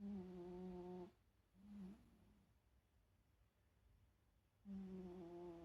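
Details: A sleeping Shiba Inu snores in soft, buzzy hums: a sustained tone, then a brief rising one, silence for over two seconds, then another long humming breath.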